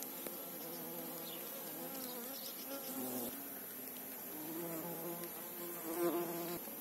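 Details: A bee among apple and calendula at Vikos, out on a trip to the field; a loud, close droning buzz rises and falls in pitch as it moves about, with brief faint chirps overhead.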